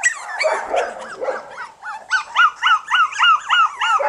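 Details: Ten one-month-old Jack Russell Terrier puppies playing on a backyard lawn on their first trip outside without their mother give high, arched yips and whines, about three a second.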